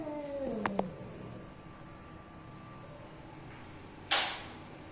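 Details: Stray Persian cat giving a single meow that slides downward in pitch and lasts under a second. It is followed by quiet background hum and a sharp click near the end.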